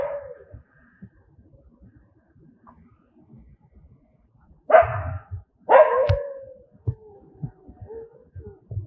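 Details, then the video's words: Angry dogs barking: a fading bark at the start, then two loud, harsh barks a second apart midway, followed by softer whining sounds and low thumps. "Angry Dogs barking sound, Angry Dogs aboie, Cachorros com raiva latindo som, कुत्ते की आवाज"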